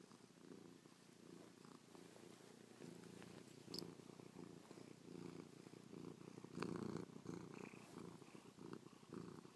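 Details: Cat named Chloe, snuggled against her owner after a night on their back, purrs while licking and pawing the face; rhythmic low rumble rising and falling with each breath, louder toward the end, with small rustles.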